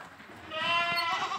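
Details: Boer goat kept on an Indonesian farm: one wavering, nasal bleat with a strong harmonic stack, swelling after a quiet start and sustained to the end.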